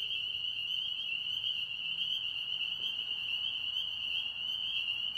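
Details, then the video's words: Frogs singing in a pond in Tennessee: a dense, unbroken high-pitched chorus forming one steady shrill band with fainter overtones above, no gaps or pauses across the whole stretch. "Tennessee Frogs Singing"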